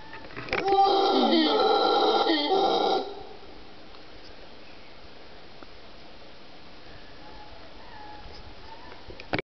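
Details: A mantled howler monkey (Alouatta palliata aequatorialis) gives one loud, rasping, harmonic howl of about two seconds. It was recorded in late morning on 26 December 2014, in a forested ravine of dry forest at Cerro Blanco Reserve near Guayaquil, Ecuador, where several of 13 monkeys were calling.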